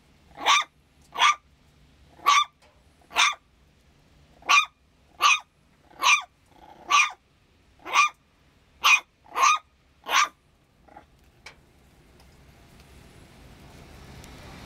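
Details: San'in Shiba Inu puppy barking repeatedly without apparent cause: about a dozen sharp, high yaps in quick succession over ten seconds, then fading to a faint bark before rising background noise.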